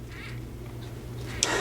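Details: A gravid female crested gecko, being moved off the glass, wiggles her tail, shakes her head and gives a brief, sharp squeaking chirp, warning a male, as she takes her handler to be, away from mating.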